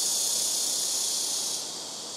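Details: ['Blackish cicadas singing loudly from trees on a home rooftop, several calling in turn from the front, left and right trees; a dense, high, hissing buzz holds steady, then softens after about a second and a half.']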